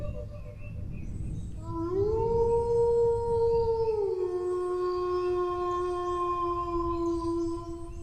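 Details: After a quiet opening, a dog's howl swells upward, holds a level tone for about two seconds, then steps down to a lower pitch sustained to the end, with a light hiss in the background.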